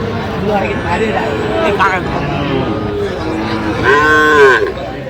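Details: Sahiwal bull calves at a busy cattle market on 8 November 2025, as winter sets in: scattered lowing throughout, then one loud, drawn-out harmonic moo swelling near the end, amid steady crowd chatter.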